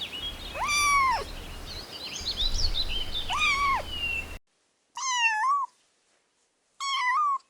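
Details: Kittens at play with pine cones on soft grass outside give clear, high meows with a bent, arching pitch, four calls in short separated bursts, the later two set against silence.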